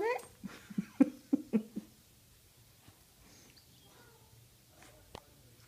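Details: West Highland White Terrier indoors, 'talking' after a Jack Russell ate its ball: a burst of short whiny grumbling yips in the first two seconds, then near quiet with faint room noise.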